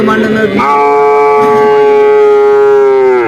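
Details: A bull calf at the Vaniyamkulam market gives one loud, sustained, even-pitched bawl lasting nearly three seconds, with market chatter beneath it.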